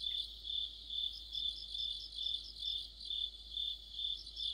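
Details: Mid-autumn insect orchestra led by crickets near a streetlamp, a continuous high-pitched pulsing chirp repeated about twice each second, with softer overlapping trills from other singers.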